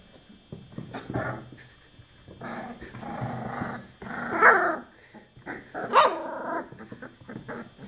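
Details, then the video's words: Chocolate Labrador Retriever puppies at 24 days old making rough, drawn-out growling whines in several bursts, with two sharper yelping peaks midway and low shuffling noise between. "choco labrador - 24 dní stará štěňata"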